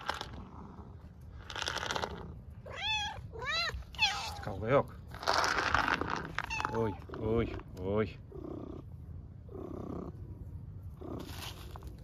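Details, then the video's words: Several hungry homeless cats on an Istanbul street beg for food and attention with a rapid run of short arching meows, mixed with a woman's coaxing Turkish voice and some purring. "Hungry homeless cats meow loudly asking for food and attention"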